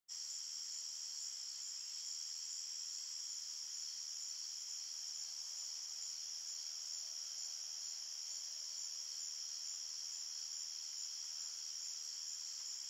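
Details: Crickets chirping at night in a forest: a dense, unbroken high-pitched trill that holds a steady pitch throughout, with a quieter higher band above it and no other animals, voices or music.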